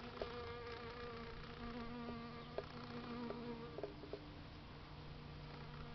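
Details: A Western honey bee being moved from a red flower gives a steady, low droning buzz, with a few soft clicks and knocks.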